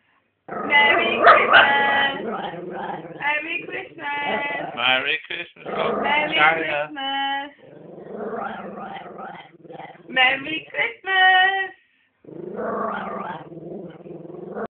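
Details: A female Italian Greyhound 'talks' in a run of whiny, rising and falling grumbles and yelps while opening her presents on Christmas Day.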